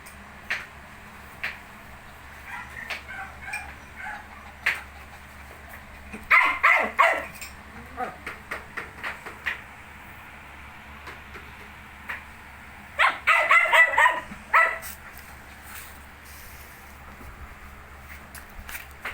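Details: Nineteen-day-old Shih Tzu puppies with scattered brief yips, then two denser runs of squealing, whining yelps. Faint human voices are in the background.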